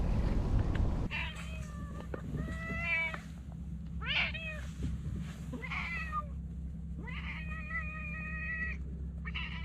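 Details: Talkative stray cat meows repeatedly, about five or six short wavering mews spaced roughly a second apart, some bending upward, over a constant low engine-like drone outdoors.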